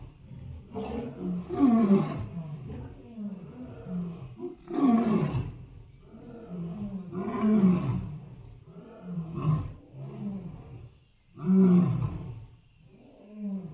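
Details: Repeated low, growling elephant calls rise and fall in waves every two to three seconds, gravelly and resonant, with a few briefer grunts between the louder bellows.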